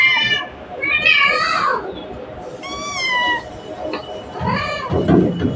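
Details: A cat calls for its mother with clear, rising and falling meows, three or four drawn-out cries over a few seconds. Rustling and thumping handling noise can be heard near the end.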